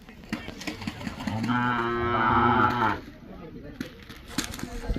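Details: Racing bullock calf with attractive, gentle looks in Maharashtra gives a single drawn-out harmonic moo lasting about one and a half seconds, amid rustling and knocking background noise.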